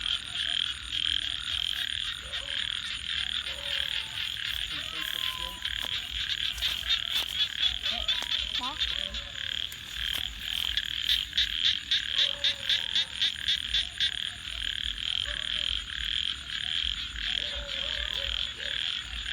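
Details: Frogs calling at night beside a crackling campfire: a dense, steady high-pitched chorus runs throughout, with scattered lower croaks and sharp snaps and pops from the fire.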